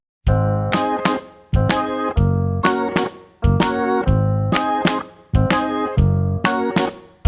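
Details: Bouncy electric piano music in repeated chords, each struck about every second, with no other sounds.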